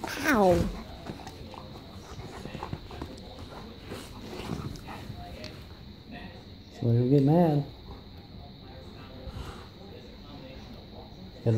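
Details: Two Great Pyrenees, Ranger and Zoe, wrestling for space on a couch indoors; rising, harmonic whine-like vocalisations near the start and again midway, with rustling, panting and a person talking.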